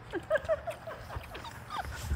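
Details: Labrador Retriever puppies five weeks old, trying a dip in water in a baby pool. A run of short, high yipping whimpers repeats several times in two seconds, with faint voices and splashing behind.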